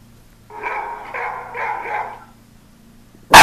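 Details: Pet dachshunds barking at sounds from phone apps: three drawn-out, harmonic barks run together over about two seconds, followed by a sharp loud click.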